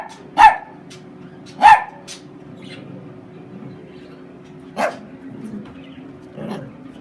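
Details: Chiweenie dog named Homer, described as sneezing, barking and attacking, gives two loud, abrupt barks about a second apart, then after a long lull one softer bark and a faint muffled final one over low background hum.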